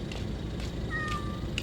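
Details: A cat answering its owner with one short meow that slides down in pitch, heard over a steady low rumble.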